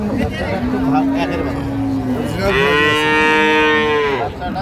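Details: Improved-breed dairy cattle at Ambari haat market, 2/3/25: one low, level moo lasting over a second, then a louder, higher, sustained bellow of nearly two seconds, crowd murmur underneath.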